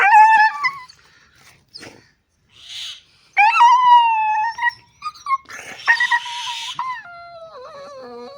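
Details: Anxious-sounding dog howling and whimpering: bright, wavering cries sliding downward, interrupted by short yips, brief gaps and a few noisy bursts, ending in a lower drawn-out whine.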